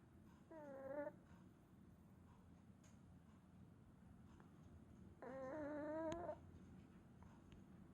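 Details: Shiro, a Chihuahua, snores while tired after a walk: two drawn-out whistling nasal tones, a short one then a longer one a few seconds later, each wavering slightly in pitch, in a quiet room.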